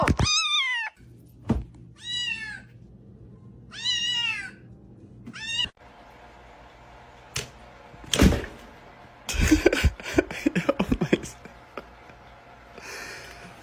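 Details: Talkative orange male cat at home gives four short arched meows in the first six seconds, spaced about a second apart. These are followed by thumps, rustling and a low household hum.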